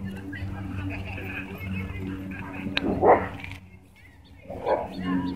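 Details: Dogs at a dog park, where a Husky and a German Shepherd chase a German Shorthaired Pointer; two short, loud barks stand out near the third and fifth seconds over steady human chatter and outdoor background noise.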